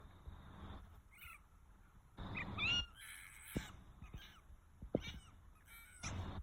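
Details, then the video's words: Fox calling in a series of short harsh bursts with rasping, scratchy tones, some bursts carrying a thin rising whine; quiet gaps and a few sharp knocks between calls. "Fox Noises"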